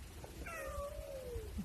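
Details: Feral cat released after spaying in a trap-neuter-return programme at a bungalow village on the island of Cres, Croatia, gives one long, clear meow that holds steady, then slides downward. Low background rumble.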